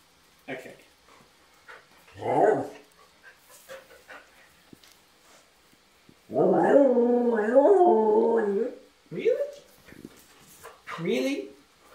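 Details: Teddy, a lilac border collie who likes to talk to the owners, gives a long wavering, yodel-like moan lasting about two seconds, then shorter rising and falling whines and grumbles, with faint background voices.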